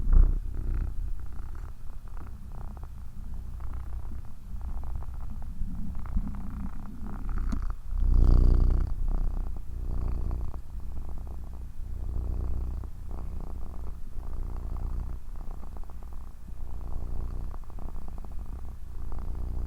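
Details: Steady deep purring from a cat, a rapid, even low throb throughout, with one brief louder surge and a rustle near eight seconds.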